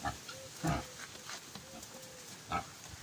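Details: Piglets fed greens grunt in two short, low, broadband bursts about two seconds apart. Faint thin tonal squeaks and a steady hiss run between them.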